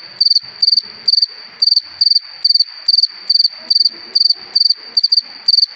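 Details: On a summer evening a cricket gives a shrill, metallic chirp of three or four quick pulses, repeated evenly about twice a second, with faint background rustling.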